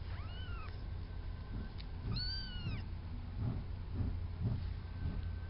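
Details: A few-weeks-old black and white male kitten on a farm meows twice, high and arching, about two seconds apart, over a steady low rumble and soft thumping sounds.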